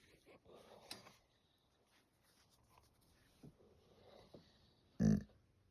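A Golden Retriever makes low, soft grunting noises and ends with a sudden loud snort.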